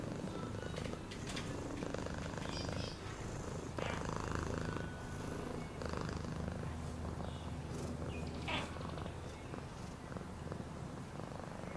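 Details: Domestic cat purring steadily, a low continuous rumble with fine rapid pulsing, broken by occasional soft clicks and brief faint higher tones.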